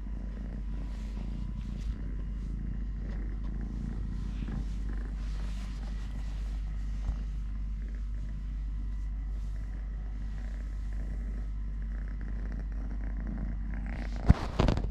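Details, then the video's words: Soft, steady purring from three-legged cat Totoshka while being handled and playing, a quiet low drone with small rustles, ending in a burst of loud knocking and scraping noise in the final second. "LITTLE GREMLIN PURR PURR | Having Food, Playing, Walking, Fighting with hand, purring"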